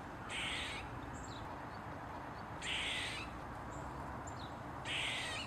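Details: Eastern gray squirrel on a mushroom, tail wagging, giving three long, harsh, wheezy squawks about two seconds apart, each roughly half a second long, with a few faint chips between them and steady background hiss.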